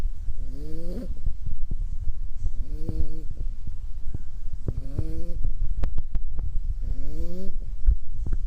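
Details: Sleeping puppy snoring: four drawn-out, nasal, slightly rising snores with a tonal edge, spaced about two seconds apart, with scattered sharp clicks and low rumble between breaths.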